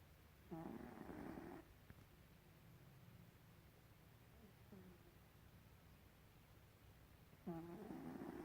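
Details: Pet cat Gribouille asleep and snoring, two loud raspy inhalations roughly six seconds apart with a soft fainter breath sound between them.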